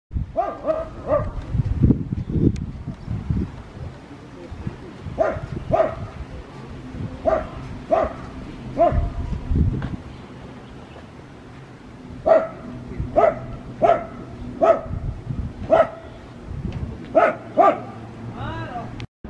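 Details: Pug named Maria in Saitama, Japan, recorded on 14 April 2020 while out in the sunlight, giving short sharp barks, singly and in quick runs of two to four, with low rumbling handling noise between them.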